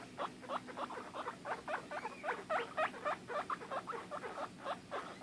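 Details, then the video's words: Pet guinea pig that gets upset when she cannot find or see her sister, squeaking in rapid repeated chirps, nearly four per second, fairly regular in rhythm. "Guinea pigs making noises"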